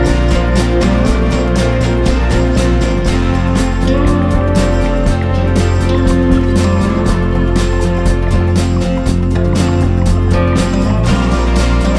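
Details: Loud guitar-led music with a steady beat fills the whole stretch, with no animal sound audible.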